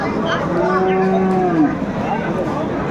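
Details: Bull calf of Friesian or cross breeding at Aftabganj market, Dinajpur, 10 September 2024: one smooth, gently arching moo of about a second, then busy market hubbub with voices.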